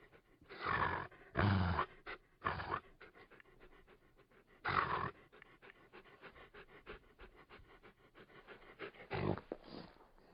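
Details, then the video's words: Labrador Retriever panting steadily in fast rhythmic breaths, broken by several heavier, louder huffs and snorts throughout. "Sonido de un Labrador Retriever"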